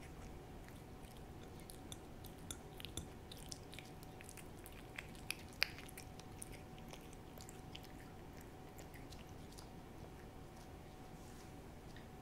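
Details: Hodu the cat, described as a good eater, working at a Ciao Churu treat in an ASMR recording: soft rapid licking clicks at a quick uneven pace with a few sharper smacks, under a steady electrical tone.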